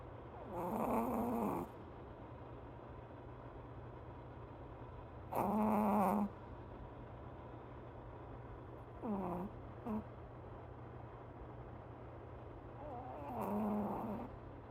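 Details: A sleeping dog snoring softly, with four slow, breathy snores spaced several seconds apart, each a short rasping buzz, over a steady low hum of room noise.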